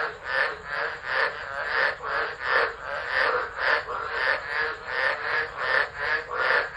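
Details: Storm chorus of tropical frogs at Driver, Northern Territory, Australia, 13 December 2013, recorded on an unattended phone; loud rolling croaks in uneven pulses, swelling and fading, with overlapping callers throughout.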